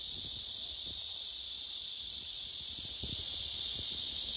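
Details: A male blackish cicada drones a loud, unbroken, hissing courtship song toward an unresponsive female below him, who later pushes him away and rejects him.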